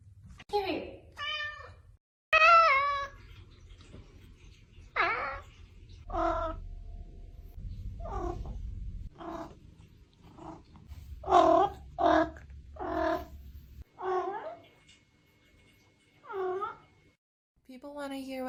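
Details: Domestic cat meowing again and again, about a dozen short harmonic meows of varied pitch, some wavering, others clipped, separated by brief pauses, with a person talking softly and a low hum underneath.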